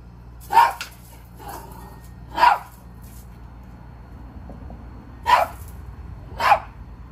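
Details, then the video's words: Maltese dog barking while jealous of a squirrel: four sharp, bright barks spaced irregularly over seven seconds, with fainter half-barks between them over a low steady hum. "Dog is jealous of Squirrel"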